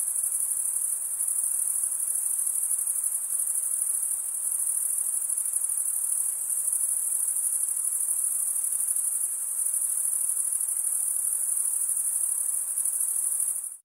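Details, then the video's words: Crickets chirping, the sound made as males run one wing over the serrated vein of the other; a constant shrill high trill plays evenly, then cuts off abruptly at the very end. "cricket sound"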